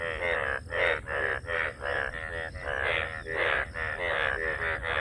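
A frog gives loud, nasal croaks in quick pulsed bursts, about two each second.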